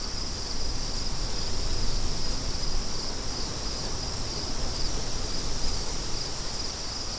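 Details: Crickets chirp in a steady high-pitched band, a continuous rapid pulsing that repeats several times a second, layered over loud, broad rushing wind that dominates the low end throughout.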